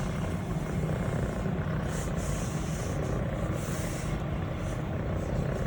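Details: Continuous low rumbling purr from Elle, a female Scottish Fold kitten aged 180 days, longhaired brown tabby and white, enjoying being petted and shifting her posture; faint soft rustles of stroking on top.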